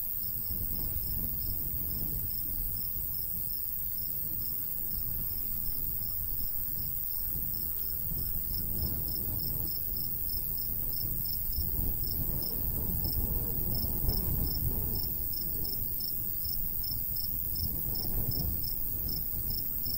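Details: ['Summer countryside crickets near a golden wheat field, a high chirp repeated about three times per second for twenty seconds, set against a deep, surging wind rumble from a light breeze.']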